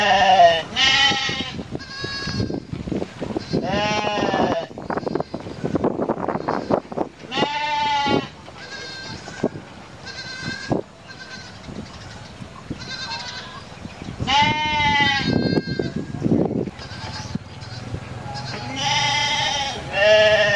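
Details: Goats, kids among them, bleat repeatedly, each call a nasal, wavering 'meh' that rises and falls.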